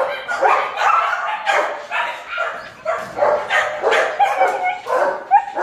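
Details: German Shepherd puppies at a kennel, excited. Several high yips and barks overlap in a dense, nearly continuous stream, about two per second, with no pauses.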